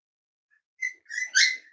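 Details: Cavalier King Charles Spaniel puppy, five weeks old, indoors during weight checks; a thin, high whistled whine in short pieces that rises and swells into a louder squeal within under two seconds.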